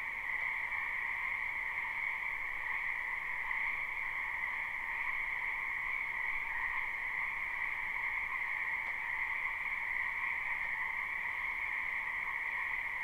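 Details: Many frogs calling together in a wetland during spring, a live recording: a constant, even wall of trilled croaking at two stacked pitches, unchanging in loudness for the whole stretch.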